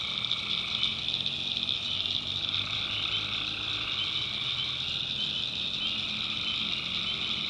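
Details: Swamp at night in the North Carolina backwoods, full of calling tree frogs; steady, dense high-pitched trilling without pauses, layered voices blending into a continuous buzz, with a soft low hum beneath.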